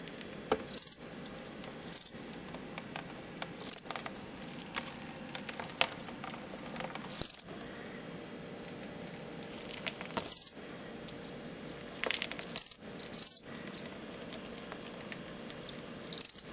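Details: Aggressive contest song of a captive male fall field cricket housed in a large plastic bin, descended from crickets caught near Lethbridge, Alberta: short, bright pulsed chirps repeated at irregular intervals of one to three seconds, roughly eleven chirps, with faint low rustling.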